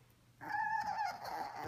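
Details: Ricci, a teacup Yorkshire Terrier puppy described as Italian and obsessed with his ball, which he plays with day and night, gives a single steady, high, thin whine of just over one second after a quiet start.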